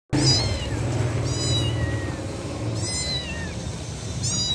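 A kitten gives thin, high mews roughly every second and a half, calling for its mother.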